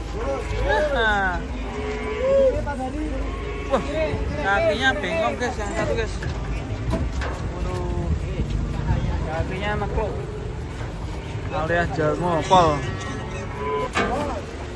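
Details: Cattle unloading from a truck with one angry animal; loud low moos in bursts, several overlapping, mixed with men talking and vehicle noise.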